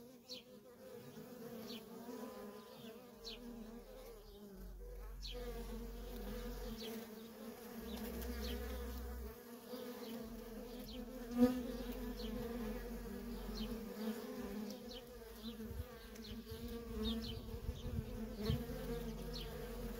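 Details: Feral honey bee colony with constant worker traffic, the swarm producing a continuous layered drone, single bees passing close as short swooping whines, a faint low rumble underneath and one sharp tap partway through.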